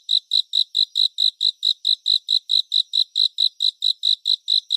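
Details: Cricket concert for relaxation and sleep, in 3D surround sound: an unbroken series of bright, high-pitched chirps, about four or five per second, evenly paced and even in loudness throughout, with nothing else audible.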